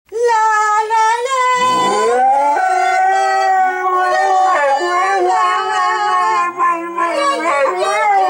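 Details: Two Siberian Huskies, Bentley and Skylee, howl along with a woman singing "Auld Lang Syne"; long, wavering, harmonic howls slide upward and hold sustained tones, with voices overlapping throughout.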